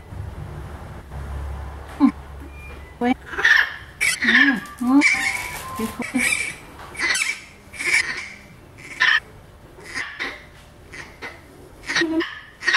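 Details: Orphaned infant howler monkey Milette protests while being treated by a veterinarian. Sharp, squealing cries come in uneven bursts, mixed with Spanish-speaking voices close by in a small room.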